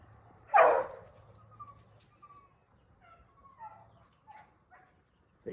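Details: Beagle pack running rabbits, possibly split into two races on different rabbits; one loud, close bark, then fainter, drawn-out tonal bays and a few short distant barks, ending with another sharp bark.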